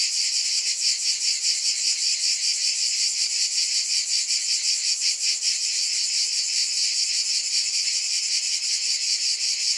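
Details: Cicadas fill the air with a steady, dense, high-pitched buzz that throbs gently about two or three times each second, with no other sounds.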